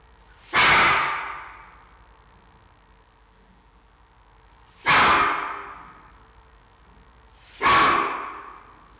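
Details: Xiao Qi Ji, a giant panda cub at the Smithsonian National Zoo in Washington D.C., barks at his mother Mei Xiang: three sharp, noisy, explosive barks spaced irregularly, each trailing off quickly, with quiet between.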